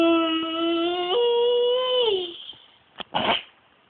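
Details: A Great Dane gives a long, tonal whine that steps up in pitch, holds, then slides down, at 6am, as he does every morning to wake his household.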